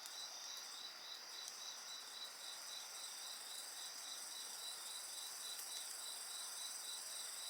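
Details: Insects singing beside a bonfire: a steady pulsed chirping near 4k repeating about four times a second, with continuous high shrill trilling bands above, over a soft crackling hiss of the fire.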